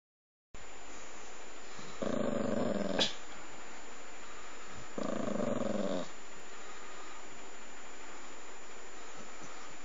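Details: Puppy lying on a person's lap, grumbling because it does not want to be touched while falling asleep; two low, rough grumbles of about one second each, with a faint click between them in a quiet indoor room.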